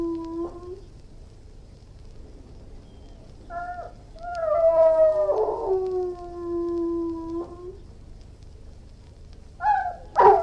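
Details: Irish Wolfhound giving long, wavering howls and whines, a low sustained moan followed by higher, quavering cries that fall away, ending in a sudden sharp yelp.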